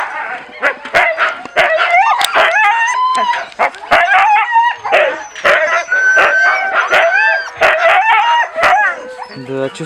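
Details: Siberian Husky puppies at feeding time, several of them calling together: a dense chorus of high, wavering whines and squealing yelps that rise and fall, overlapping almost continuously, broken by sharp clicks and knocks.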